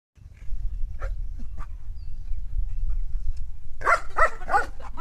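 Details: German Shepherd dogs, two named in the recording; a few faint calls early on over steady low rumbling noise, then a run of three or four loud, harsh barks near the end.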